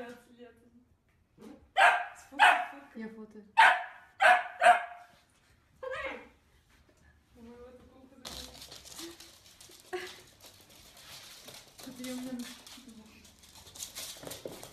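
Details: Pet dachshund giving a run of about five sharp, loud barks in quick succession indoors, then falling quiet as people talk over a hissing background.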